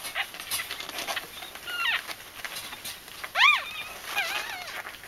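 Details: Whimpering from Bichon Frisé puppies in a litter: faint scattered squeaks under steady hiss, then one louder, sharply rising and falling squeal past the middle, followed by softer wavering cries.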